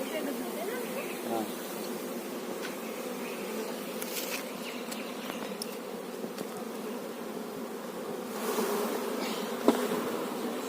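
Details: Many honey bees hum around an open hive at a bee farm, a thick, even buzz that holds steady, with light crackles and a sharp tap near the end.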